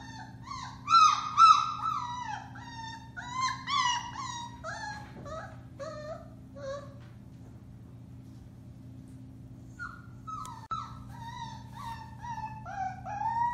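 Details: Four-week-old Alaskan Malamute puppies from the Bema and Cole litter, recorded March 30, 2021, howl in overlapping high, wavering calls that rise and fall, trailing off mid-clip before a new bout of bending yelps starts near the end.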